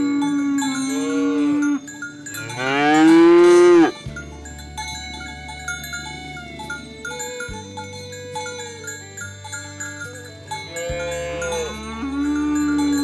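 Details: A cow gives long, drawn-out moos that swell and rise in pitch, with cowbells clanking, while cows and oxen are herded to the livestock barn, calling to others in the pen.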